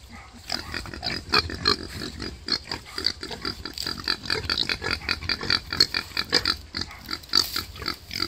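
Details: A wild boar that has just given birth to five piglets grunts and squeals in short, rapid bursts with a harsh, raspy edge.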